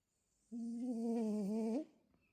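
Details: Quiet snoring from a sleeping French Bulldog: a single sustained, tonal, hum-like snore of just over a second, level and slightly wavering, ending with a small upward lift, in a quiet room.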